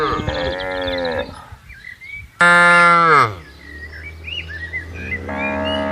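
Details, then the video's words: Cattle being herded across a green field, lowing with three harmonic moos: a steady one, then a loud, brief falling one, then a sustained one. Small birds chirp and twitter in the background. "suara sapi lembu lucu"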